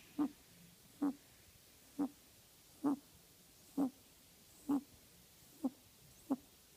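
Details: Pet rabbit snoring while asleep indoors: soft snorting breaths repeated about every 0.9 seconds, eight in a row, otherwise quiet.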